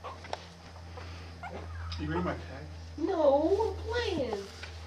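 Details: Young puppies Jackson and Bear, growing fast and more active and vocal than six days earlier, give a run of high, wavering whines that rise and fall in arching sweeps, over a steady low electrical hum with a quiet human voice earlier.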